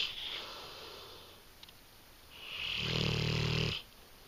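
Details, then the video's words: Nakita, a female English Mastiff, snores in her sleep: a fading breathy exhale, then a strong buzzing, rumbling inhale snore lasting about a second. "English Mastiff caught snoring"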